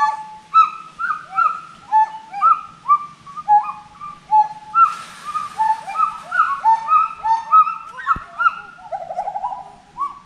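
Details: Repeated whistled hoots from forest monkeys fill the whole stretch, rhythmic and overlapping, each note sliding up and then dropping. A short hiss sounds midway and a sharp click near the end.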